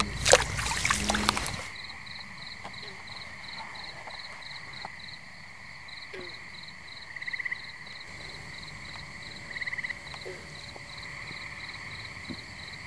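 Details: A New Jersey pond chorus of tree frogs on a muggy night. A loud handling rustle opens, then an unbroken high trill continues, overlaid by fast evenly pulsed notes and a few brief buzzy bursts.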